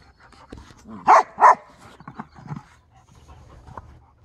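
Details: Husky and Briard dogs at play, one giving two short, loud, harmonic woofs in quick succession, followed by softer grumbling and huffing noises in a quiet room.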